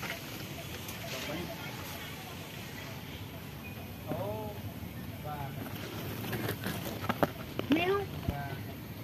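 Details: Cats living at a pagoda, hiding because they are afraid of people, give a few drawn-out arched meows, rising then falling, spaced a second or more apart over background rustling, footsteps and a soft murmur of voices.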